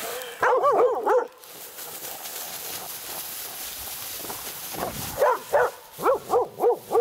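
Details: Laika on a night badger hunt, meeting a badger for the first time, gives a short burst of yelping barks, then rustling and a pause, then a string of evenly spaced barks roughly every third of a second.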